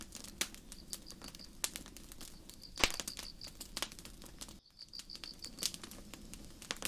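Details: Night forest crickets chirping in high, pulsed trills, with a brief dropout of all sound midway; campfire snaps and crackles sound over the chirps throughout.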